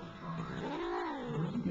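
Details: Domestic cat talking back to its owner indoors, giving a drawn-out, low moaning meow that rises and falls over under two seconds, with faint room noise.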